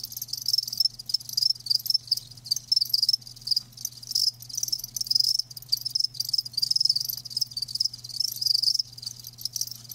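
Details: Steady, almost continuous high-pitched chirping from live crickets, rapid pulses blurring into a shimmering trill with few breaks, a faint low hum beneath.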